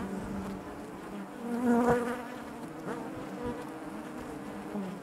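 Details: Steady low buzz of honey bees within their hive, overlapping drones forming wavy bands, a single close bee briefly swelling louder in the middle, soft clicks underneath.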